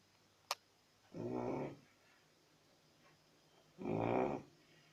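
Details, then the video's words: Chow Chow dog snoring indoors: two low, rough, rasping snore breaths about two and a half seconds apart, with quiet breathing pauses between and a brief click early on. "Chrapiacy Snoring Chow Chow"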